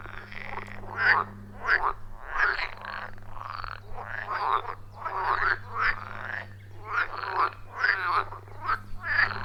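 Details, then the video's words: A chorus of frogs at a wild forest pond, captured on an iPhone 14 Pro with a Shure MV88+ microphone: harsh croaking bursts repeated about every second, rhythmic and overlapping, over a faint low drone. "30 Minutes of Frog Sounds at a Forest Pond"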